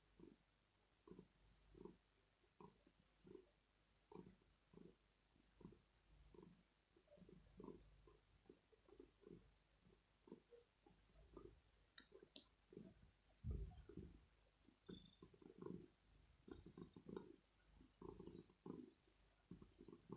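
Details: Male house cat purring in the early morning as he asks for cuddles, petting and maybe food. Steady low throbbing pulses, about one every 0.7 seconds throughout, with a brief click partway and soft high chirps.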